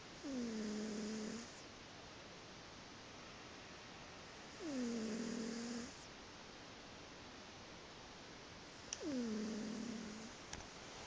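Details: Pet cat asleep and snoring: three whistled, low, downward-sliding snores, each about a second long and spaced roughly four to five seconds apart, against constant room hiss with a couple of faint clicks.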